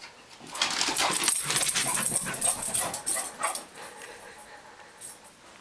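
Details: English Bulldog chasing a Pekingese puppy inside the home, heard as rapid rhythmic breathy huffs, roughly two to three per second, building then fading toward the end, with faint room noise.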